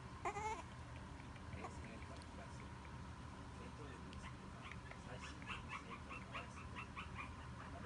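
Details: Male Yorkshire Terrier puppy of solid size, introduced by a breeder, gives one short high whine with stacked harmonic tones near the start, followed by faint soft clicks and a low steady room hum.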